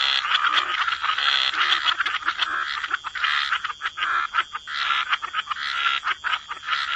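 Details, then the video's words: Dense wetland chorus of croaking frogs, overlapping rasping calls forming an almost unbroken wall of sound, briefly thinning into separate pulses near the end. "Frog Lullaby: Relax to the Sound of Croaking Frogs"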